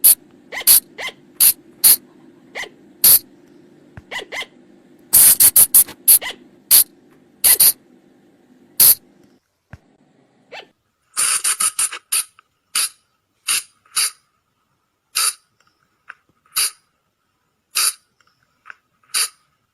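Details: Forest recording of a flying lemur call for luring at night; rapid sharp clicks and rising chirps over a low hum, then quieter, followed by a run of sharp clicks spaced about a second apart.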